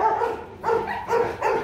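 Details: Rottweilers Bruno and his 7-month-old son Igor meeting at a kennel; a few moderate barks roughly every half second, with people talking nearby.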